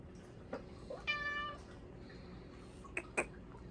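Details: Bengal cat named Hua begging for food at supper time over Japanese cod sticks: one clear, steady harmonic meow of about half a second, framed by short clicks and tapping in a quiet indoor room.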